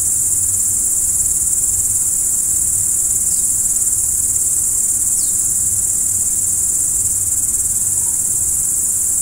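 Crickets trill steadily in a high, shimmering chorus through the night.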